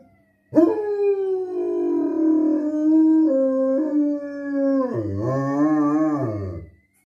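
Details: German Shepherd howling in one sustained six-second tonal howl, level at first, then breaking into a wavering, warbling ending before fading out.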